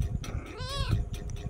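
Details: Small kitten meowing as it is petted and talked to; one drawn-out harmonic mew that bends upward and slides down, heard over constant low-frequency rumbling.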